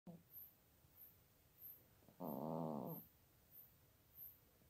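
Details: Elderly female cat almost 17 years old sleeping in her bed basket beside a computer in Toowoomba, Queensland, Australia, unamplified: one rough, buzzy snore lasting under a second, with soft rhythmic ticking high above throughout.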